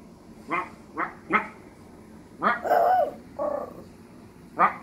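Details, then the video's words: Little Maltese dog giving short yelps in quick succession, then a drawn-out whining howl with a wavering tone, a brief second moan and a final yelp. "little Maltese howling"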